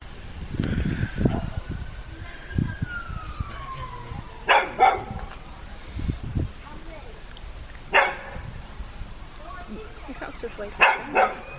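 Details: Pet dog named Peppie, frightened by a small cat: a few sharp, loud barks spaced several seconds apart, after low voices talking at the start.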